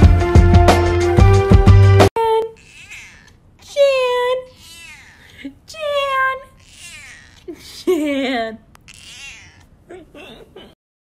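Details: Cat meowing after a brief burst of music: a series of drawn-out, wavering meows, several rising then falling, repeated every couple of seconds, ending with softer short mews.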